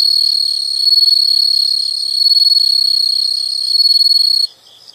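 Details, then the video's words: Insects in a nature sound recording: a loud, steady high-pitched continuous trill with faint pulsing, ending abruptly just before the close, leaving near silence. "the sound of insects"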